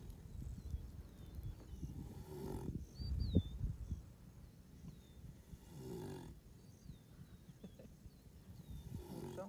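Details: Buffalo snoring: deep, rough breathing bursts swell roughly every three to four seconds over a low rumble, while small birds chirp faintly in the background.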